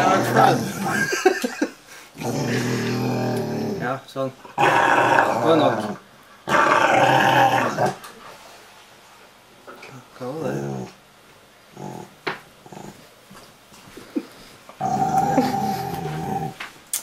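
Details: A Rottweiler being cuddled indoors makes low grumbling, growl-like talking sounds in several bursts of a second or two, separated by quiet gaps, while a woman speaks softly in Norwegian.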